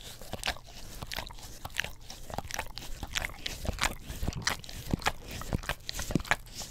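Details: English Cream Golden Retriever lapping at an Orapup tongue cleaning brush next to a Blue Yeti microphone; rapid wet smacks, roughly one and a half per second but irregular, with crackly slurping between them and nothing else audible.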